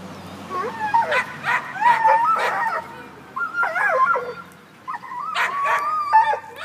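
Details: Black and Tan Coonhound named Tucker, a neighbor's dog, up in a tree after chasing a cat, giving drawn-out, wavering bays and yelps in uneven bursts with short gaps between.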